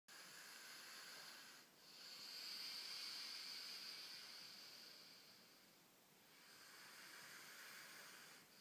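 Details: Sleeping female Rhodesian Ridgeback, fast asleep with her eyes open, snoring: a steady breathy hiss that swells and fades in slow cycles, with short pauses between breaths about four seconds apart.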